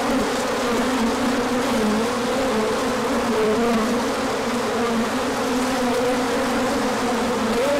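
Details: Crowd of bees circling in an orientation flight as sunshine returned after colder weather; continuous deep hum of many wings with wavering tones, steady loudness throughout.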